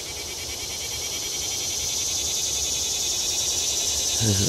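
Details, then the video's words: Cicadas singing on World Peace Wetland Prairie in Fayetteville, Arkansas, on July 31, 2011, in dry weather after a long time without rain: a dense, steady, high-pitched buzzing chorus with a fast pulsing texture that swells slowly, ending in a brief low thump. "World Peace Wetland Prairie cicadas sing"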